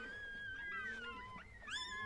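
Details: A newborn Chihuahua puppy at birth gives a long, thin, steady high whine that slowly falls in pitch, then breaks into a short rising squeal.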